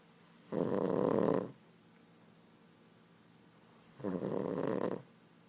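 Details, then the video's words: A male Boston Terrier snores in two long, rumbling breaths about three seconds apart; his snoring can wake his owner. "Snoring Boston Terrier"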